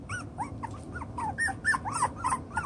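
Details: Chocolate brown Toy Poodle puppies, six weeks old, playing with toys and sorting out their pecking order; short high yips and whiny squeaks come in quick succession, several every second, rising and falling in little arcs.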